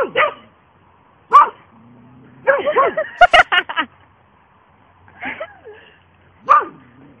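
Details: Two Border Collie sisters giving sharp, high barks, a single yelp, then a dense volley of overlapping barks around the middle, followed by a few spaced yips and one last loud bark.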